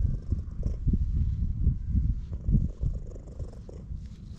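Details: Loud purring from a stray orange tabby cat met in a park while being petted, recorded on a GoPro HERO8: a continuous low rumble pulsing in soft throbs several times a second, with faint rustling of fur.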